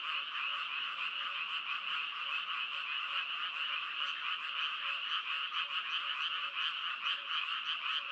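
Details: Frogs calling in a dense, steady chorus of rapid pulsed croaks, overlapping rattling notes filling the air without a break, a soft lower note repeating faintly beneath; no other sounds.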